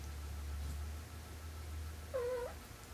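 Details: Munchkin kitten discovering soap bubbles gives one short, clear meow that rises and falls near the end, heard over a steady low hum in an otherwise quiet room.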